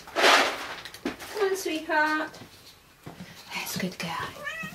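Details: Rescue cats at Dove Cat Rescue sanctuary waiting to be rehomed, indoors; a short harmonic meow rises and falls near the middle, with loud speech bursts before and after and further human voices in the room.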